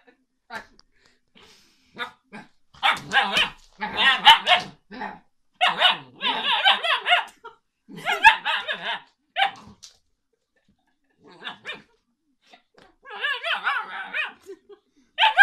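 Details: A puppy 'talking' to its owner: a series of bursts of whiny, yowling vocal sounds with wavering pitch, each lasting about half a second to a second, grouped in runs with short pauses between them.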